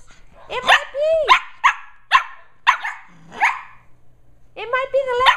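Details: Two 11.5-week-old female Shetland Sheepdog puppies wrestling and running around indoors in the evening: sharp high yipping barks in quick separate bursts and a few drawn-out whiny growl-barks, with a woman talking to them.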